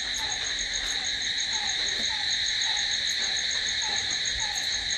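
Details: Nighttime cricket sound: continuous shrill pulsing trill, layered high tones, and an occasional soft falling note repeating every half second or so.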